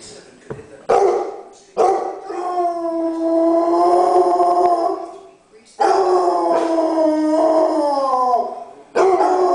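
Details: Several dogs howling together at home, long sustained wavering howls in overlapping voices that swell and fade, broken by a pause and sharp clatters, then resuming.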